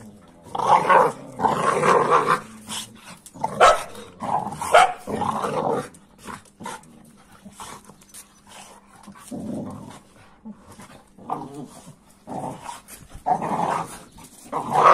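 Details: Two dogs, an American Staffordshire Terrier and a Kuvasz, playing roughly together: bursts of harsh, rumbling growls and gruff barks come in clusters, with brief quieter gaps between scuffles.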